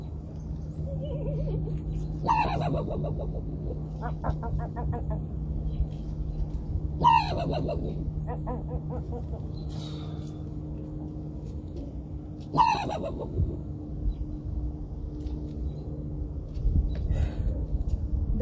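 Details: A raccoon described as too aggressive and wanting to fight barks three times, about five seconds apart. Each is a loud, harsh cry that falls sharply in pitch, with fainter rasping sounds between them over a low steady hum.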